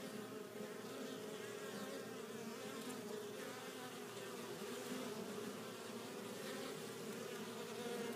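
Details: Steady collective buzz of honey bees returning to their hive with pollen, a low continuous drone with brief louder passes of nearby flying bees.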